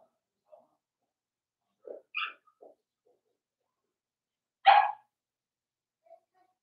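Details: Four-week-old Cavalier King Charles Spaniel puppies from Daisy's litter in their indoor pen: a few short, soft yips, then one loud, sharp bark-like yelp near the end, with quiet gaps between.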